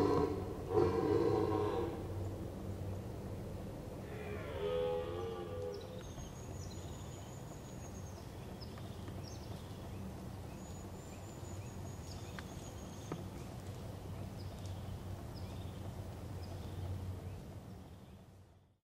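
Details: In Veluwe woodland during the rutting season, an old red deer stag bellows a low, rough roar, then a shorter groaning call bending in pitch, with thin bird whistles and a steady outdoor hum behind.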